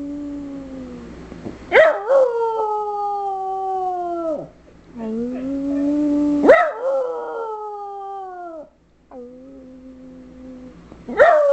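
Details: A female Schipperke, encouraged by her owner to sing, 'sings' in long, wavering howls that swoop up sharply, then slide slowly downward.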